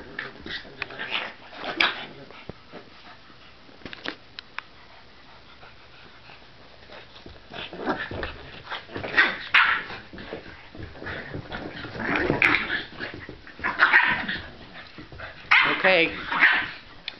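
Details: Theodora (Dora), a pit bull and Bennie's sister, play-fighting indoors: rough bursts of growling and snarling come in clusters with pauses between them, and clicks and scuffles run through the gaps.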